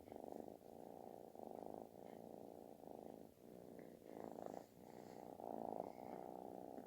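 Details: A kitten purring very loudly, like snoring, while seeking affection: a continuous low rumbling throb pulsing in steady breaths, each swell lasting under a second, with no other sounds.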